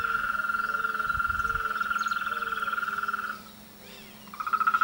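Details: Frogs in a mating and courtship season chorus: a long, rapid, pulsed trill runs for over three seconds, breaks off, then starts again near the end. Short, lower croaking notes from other frogs sound beneath it, over a faint steady hum.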